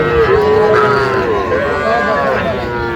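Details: Cattle at the Aftabganj cattle market in Dinajpur district, Bangladesh, on 27 January, where small bulls and heifers are being bought. A long, wavering, drawn-out low, rising and falling in pitch. Faint market chatter sits behind it.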